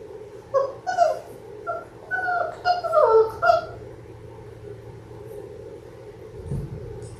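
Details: Labrador Retriever puppies in their sixth week, one of a litter of six watched on a live puppy cam: a run of tonal, quavering whines and short yelps over about three seconds, then quieter room noise with a soft thud.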